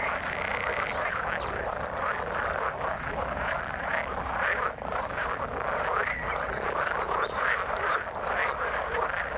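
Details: Frogs croaking in the water, a busy chorus of short overlapping croaks and scattered sharper notes, steady in level from start to finish.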